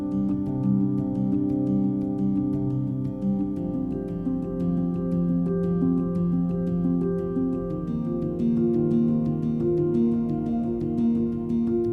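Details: Gentle instrumental music with soft sustained tones plays throughout, and no animal voice is heard.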